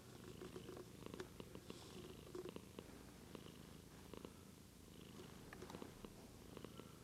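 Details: White pet cat Daisy purring steadily and fairly loudly, captured with a Lumix GH2 camera; a dense, even rumble runs throughout, dotted with small clicks and rustles.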